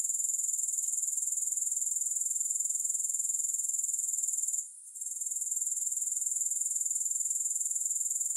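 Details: Grasshoppers as calming background: an unbroken shrill pulsing buzz, very high in pitch, with a brief dip in volume a little past the middle.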